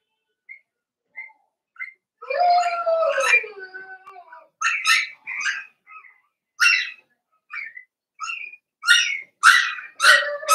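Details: Cavalier King Charles Spaniel puppies, five weeks old, in an indoor pen: a wavering, whiny howl followed by a string of short high yips and squeaks coming roughly twice a second, growing louder toward the end.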